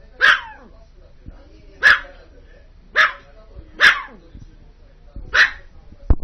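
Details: Pet dog outdoors barking at snow-removal heavy machinery: five sharp, loud single barks spaced roughly one and a half seconds apart, each a bright burst with a falling tail, over faint low machine rumble.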